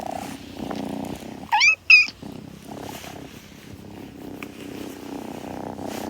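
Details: Kitten purring in a close-up recording with soft grooming sounds; a steady low rumbling purr runs throughout, broken briefly near the middle by two short, higher chirping mews.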